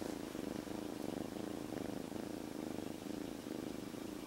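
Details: Newly rescued kitten, living outdoors until three days earlier, purring steadily inside a jacket; close, throbbing low rumble pulsing in quick, even waves with breathing, no other clear sounds.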